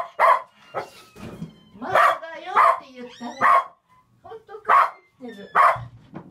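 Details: Shetland Sheepdog named Olson, very excited before a shopping trip from France to Germany near year's end, barking in loud single bursts roughly every second, with pauses between and people talking nearby.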